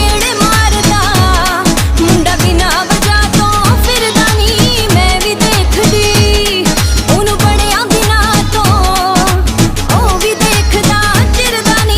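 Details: Loud Bollywood-style song with a vocal melody and driving rhythmic beat fills the whole stretch, with no animal voices.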